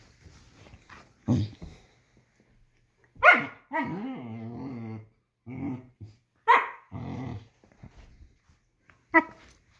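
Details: German Shepherd at play with its puppy: sharp single barks at irregular intervals, one followed by a rolling, harmonic growl lasting nearly two seconds, then more short barks and growly grumbles, in a quiet room.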